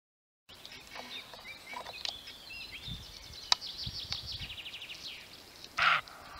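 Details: Male roe deer giving a single short, harsh bark near the end, loud above a busy chorus of trilling and chirping songbirds.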